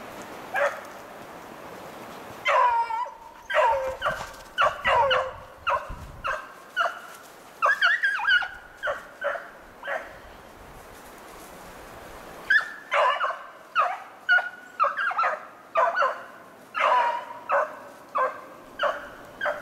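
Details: Beagles on a snowshoe hare hunt, 2/25/16, a rapid series of short sharp bays and yelps from several dogs, a pause near the middle, then the chorus resuming with clipped, evenly spaced calls.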